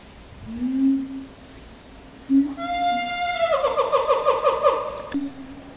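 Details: Captive chimpanzee family group led by boss male Ryu, with his father Charlie, son Riki and twin girls: a low steady hooting tone gives way to a loud, harmonic, rising call that wavers rapidly for about two seconds, then stops abruptly.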